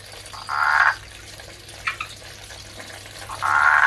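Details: A male Andean marsupial tree frog calls for a female with harsh, rattling croaks and a couple of short clucks between them, while a male red-eyed tree frog also starts calling.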